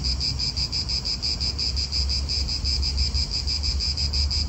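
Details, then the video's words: In an Italian park, cicadas keep up a throbbing high-pitched drone pulsing about three times a second, with a deep low hum from nearby cars and wind. "italian park ASMR Cicadas wind real atmosphere in an Italian park birds"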